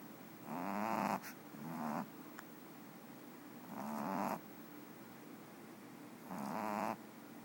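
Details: A napping pet cat named Boba Fetch gives raspy snores, four breathy bursts that swell and cut off, some in quick pairs, between quiet gaps, with a faint click in one pause.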